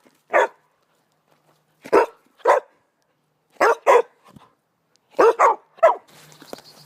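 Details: Dog giving a playful bark, which can be an invitation to play or a request for attention: short sharp barks, single and in pairs, spaced about a second apart, with faint noise at the end.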